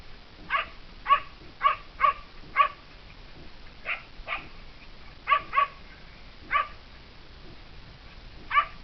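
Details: Kai Ken barking as it corners a serow in the mountains during a hunt; loud, sharp yelping barks in spaced clusters, roughly eleven across nearly nine seconds with short silences between.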